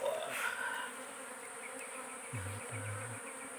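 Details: Forest-dwelling giant honey bees swarm around a small wild nest during a honey harvest, producing a continuous drone; a brief low tonal hum rises twice near the end and a short higher whine opens the stretch.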